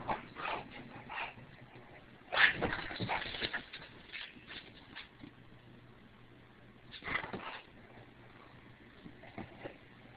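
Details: English Bulldog gives short grumbling, whining vocalizations in bursts with quiet gaps, reacting to being pointed at; anything pointy sets her off.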